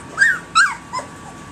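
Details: Three-week-old puppies, alert and growing, calling to get attention: two high whining yips arching up then down, a shorter third dip after, over faint room hum.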